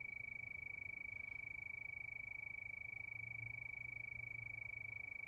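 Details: Steady nocturnal cricket trill under the night moon: rapid, regular high pulses running without a break, with low rumbling noise faintly below.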